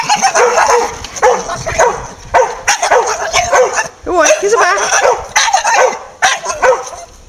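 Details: Staffordshire bull terrier chattering and barking, a stream of short, throaty, talk-like grumbles and yips in quick bursts, broken by brief pauses, sounding oddly vocal and varied.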